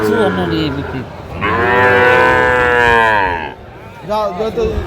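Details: At a cattle market in Comilla, 11 February 2025, a Sahiwal bull lows once for about two seconds, a steady harmonic moo that swells and fades, framed by men bargaining over prices before and after.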